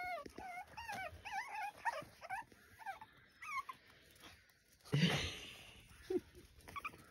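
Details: Several puppies on a farm in County Kilkenny, Ireland, chirping and whimpering as they meet a step they cannot climb: rapid high squeaky wavering chirps in quick series, a short noisy rustle midway, faint low growl-like sounds.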